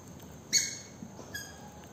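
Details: Young Maltese terrier and Spitz cross puppy letting out a single sharp, high squeaky yelp with a bright ringing tone, followed by a fainter, shorter squeak just under a second later over quiet indoor background noise.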